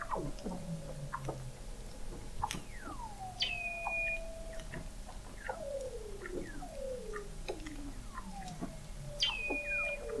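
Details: Weddell seals recorded in November 2017 by the McMurdo Oceanographic Observatory, 21 m below the sea ice in McMurdo Sound, Antarctica: overlapping descending whistles and chirps, long gliding tones sweeping down, and high steady whistles repeating near the end.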